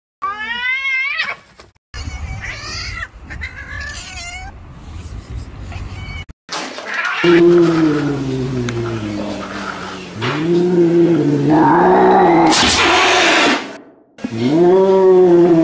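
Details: Real angry domestic cat: a string of harmonic wavering meows, then long drawn-out yowling caterwauls rising and falling in pitch, with harsh hiss-like noisy bursts between calls.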